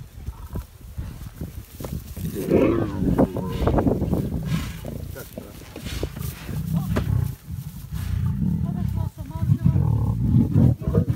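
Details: Several low, gravelly growls and grunting snarls from lions at a meal come in uneven surges, with brief quieter gaps and people speaking alongside.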